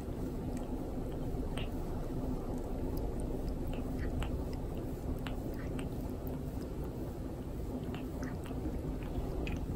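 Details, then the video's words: A pet cat grooming its owner indoors, the owner putting up with the pain; dense scratchy, rasping licking clicks and smacking sounds come continuously throughout, over a steady low room hum. "毛づくろいされました Cat keeps grooming owner"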